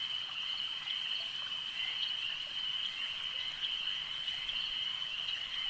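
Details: At a lake, frogs produce an unbroken, high, buzzing chorus of even loudness, with brief brighter chirps standing out now and then above a gentle trickling-water background.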